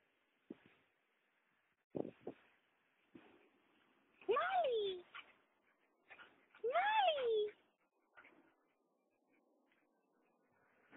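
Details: Mother dog Mali with her puppies: two drawn-out whines, each rising then sliding down in pitch over about a second, separated by a short pause, with soft scattered squeaks and a person talking nearby.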